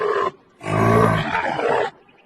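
A camel gives a short grunt, then a deep, rough, gurgling roar lasting over a second.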